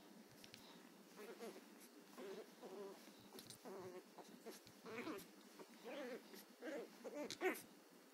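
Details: Chihuahua puppy, angry and still learning to bark, gives a quiet run of about ten soft, whiny, arched yaps in quick succession, roughly one every half second.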